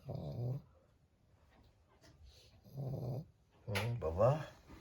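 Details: Pug snoring indoors, low rasping rumbles in three bursts about half a second to a second long, separated by quiet breathing gaps, with a person's voice joining near the end.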